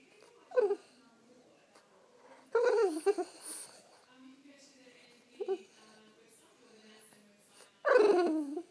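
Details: French Bulldog waking its owner with a wake-up call: four bursts of high, whiny, falling vocalizations, the longest a wavering moan near the middle and another at the end, separated by quiet breathing-like gaps indoors.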